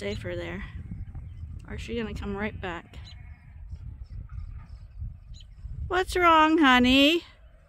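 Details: Morning at Ewetopia Farms, with sheep gathered and waiting to go out to eat fresh grass: short wavering bleats early on, a pause with faint farm noise, then a long, loud quavering bleat.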